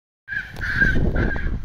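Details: A Japanese macaque at a zoo monkey mountain gives two drawn-out, clear tonal calls over a low background rumble.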